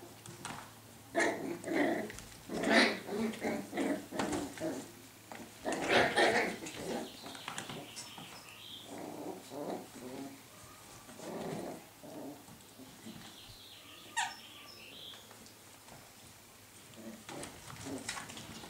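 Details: Scottish Terrier pups growling and yapping in a quick series of gritty bursts at first. They grow sparser and quieter later, with a low hum throughout and faint human voices now and then.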